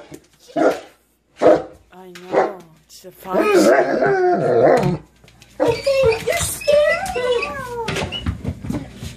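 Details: Kuvasz barking upon seeing a fox: three sharp barks roughly a second apart, followed by a stretch of overlapping human voices and further dog noises.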